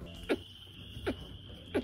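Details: A domestic rabbit gives soft, low clucks about every three-quarters of a second while chewing something it likes; a barely audible, murmur-like sound showing it is calm, focused, enjoying the moment and unstressed.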